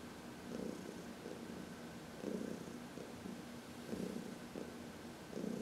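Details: Senior cat Heidi, aged 14, rumbles a relaxed purr during a sunny massage; rhythmic low buzzing with stronger pulses about every second and a half, a faint steady tone beneath.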